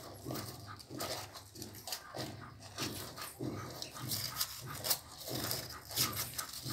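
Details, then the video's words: Newborn Pit Bull puppies on their second day, giving short, low grunting calls repeated in uneven bursts about every second over a steady background hum and noise. "cachorros pitbull recien nacidos"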